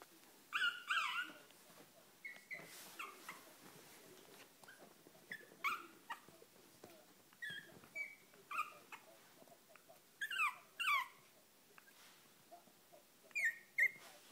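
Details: Chihuahua puppies, Kennel Club registered, giving high thin whimpers and squeaky yips in short bursts of rising and falling tones, scattered through the recording with quiet gaps between.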